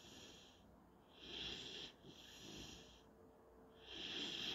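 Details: Panzer, a German Shorthaired Pointer puppy, wheezes softly while asleep at nap time. Three long airy, whistling breaths, each lasting roughly half a second to a second, come through over a faint steady background.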